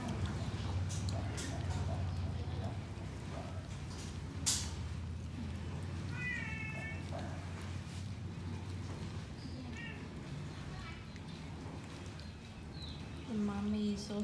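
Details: Outdoor cat meowing while having its ears cleaned: a few short, wavering harmonic meows in the middle of the recording and a longer, lower one near the end, over a steady low rumbling background.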